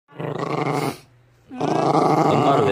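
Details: Pomchi puppy growling: a rough low growl lasting under a second, a brief pause, then a longer harsher growl rising and wavering for over a second.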